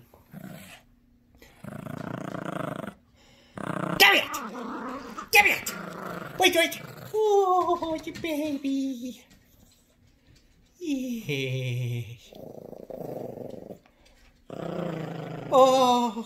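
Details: Yorkshire Terrier puppy Gracie, sassy and protective about her toys, growls in tug-of-war with a new squeaky dog toy in a small room: long raspy growl bursts in several spells, mixed with a woman's playful talking.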